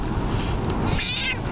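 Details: Domestic cat frightened during a car ride, a short strained meow with rising and falling high tones over steady road rumble.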